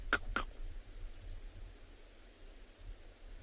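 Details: Monkeys alarm-calling on a winter sunrise game drive, 21 June 2020, Tswalu Kalahari Reserve, South Africa: two sharp, clipped barks about a third of a second apart over low wind or engine rumble. Guide doubts it targets nearby lions; crowned eagle possible.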